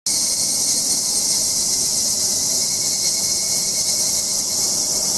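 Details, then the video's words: Cicadas in summer mountains in Japan, heard during a hike: a dense, unbroken high hiss of insect song with a faint steady tone beneath, no pauses. "Cicada Sound"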